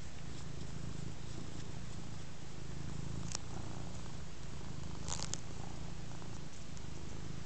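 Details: Big black house cat Ostikka purring while receiving scratches, relaxed on a rug indoors; deep rhythmic rumbling purr pulsing in long inhale and exhale phases, with brief scratching or clicking noises near the middle and end.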